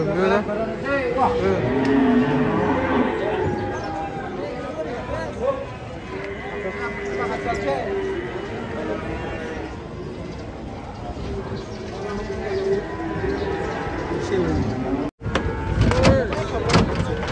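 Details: Cattle unloaded from a truck and raging, alarming visitors: several low, wavering moos rise out of a busy scene, heavily overlaid by people talking and calling, with handling noise and a brief dropout near the end.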